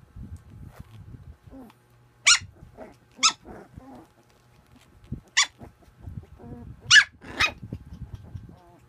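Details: Playing puppy giving sharp, high yelping barks, five short bursts spaced irregularly over several seconds, with soft snuffles and scuffling sounds of play in between.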